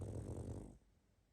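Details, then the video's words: A sleeping pug snores: a short, rough, low rumble with a buzzing vibration lasts about three quarters of a second, then fades into near silence. "Храп и сопение мопса"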